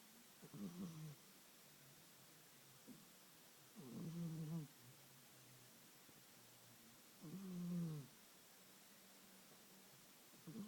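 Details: Snoring of an old domestic cat: three slow, rough, low breaths about every three and a half seconds, each a buzzy rasp with a faint rising-falling tone, against quiet room hush.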